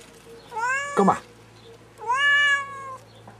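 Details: Domestic cat stuck up a tree, which it likes climbing into but not out of, gives two drawn-out, plaintive meows, each rising then sliding down, separated by a brief rustling scrape and a short pause.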